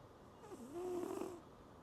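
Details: Cat snoring in a pig-like style on a night under Typhoon Signal No. 10: one drawn-out, buzzy, low tonal snore that dips, then holds a slightly wavering pitch for about a second before fading, with steady background hiss.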